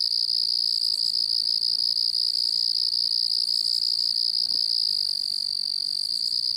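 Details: Constant chirping of distant crickets forms a continuous high, even trill, slightly pulsing, with a faint upper ringing layer. One soft brief knock is heard midway.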